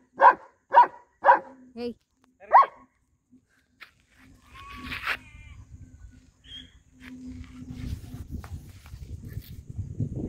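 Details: An 11-month-old male German Shepherd in Ramanagara lets out five sharp barks within the first three seconds, then falls silent while murmuring voices and low rumbling background noise take over.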